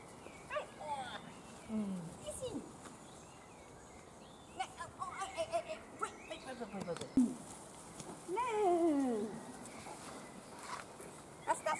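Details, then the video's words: A litter of Weimaraner puppies, playing and being fed, gives thin, descending and arched whining squeals at intervals, with a longer wavering whine near the end, over a quiet background with occasional human voice. "Weimaraner Welpen Fütterung und Spielen - puppies play & meal"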